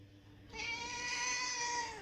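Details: Hungry house cat, one of several left at home while the owners were out at an occasion, gives a long, loud, harmonic meow that holds steady then sags slightly in pitch, lasting about one and a half seconds.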